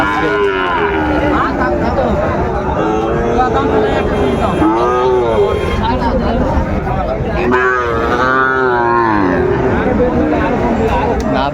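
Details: Sahiwal bull calves for sale at a cattle market, Dhaka buyers, 30 August 2024. Repeated bending, nasal moos arrive roughly every few seconds, two standing out strongly, over steady human chatter and crowd murmur.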